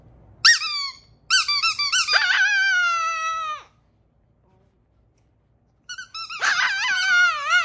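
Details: Chihuahua Cedric howls emotionally in a small room on receiving squeaky toys: short high yelps rise into a sustained, slightly wavering howl that falls away at the end, then after a few seconds of silence a fresh quavering howl starts.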